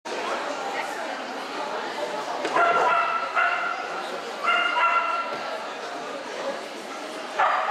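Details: Female Samoyeds in the open class at a dog show; a few short harmonic yelping barks in bursts, the last near the end, over continuous crowd chatter and hall noise.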